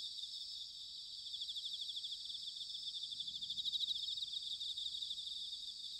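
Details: Bell crickets singing in autumn at Sanuki, Chiba Prefecture, Japan: a dense, steady high-pitched shimmering chorus of many insects, with pulses rising slightly in loudness around the middle; faint low rumble beneath.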